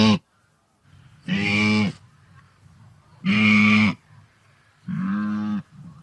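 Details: Resonant wildebeest calls: three buzzy, honking grunts under a second each, evenly spaced about every one and a half seconds, with a soft low murmur of the herd between them.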